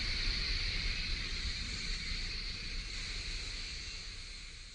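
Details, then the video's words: Steady summer drone of cicadas at Kasai Rinkai Park, Tokyo: an even, unbroken high hiss holding at a constant pitch and slowly fading, with low outdoor rumble underneath. "매미소리에 이끌려- / せみの声に引かれて-"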